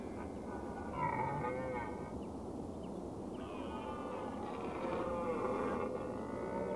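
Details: Red deer (Cervus elaphus) giving drawn-out, tonal, harmonic calls: one rising then falling about a second in, then a longer wavering call from mid-clip onward, over a steady broadband background hiss.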